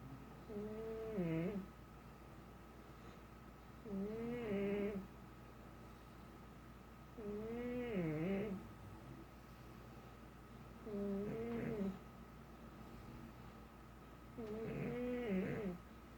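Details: Snoring pug kept as a pet, breathing in slow regular cycles: five nasal, wavering, whistly snores roughly every three and a half seconds, each about a second long, with quiet gaps and faint room hum.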